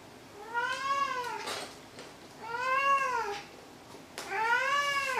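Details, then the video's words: Maru, a house cat, gives three long meows in quick succession, each one rising and then falling in pitch, with a slightly plaintive, wavering tone against quiet room noise. "鳴くねこ３。 meow meow"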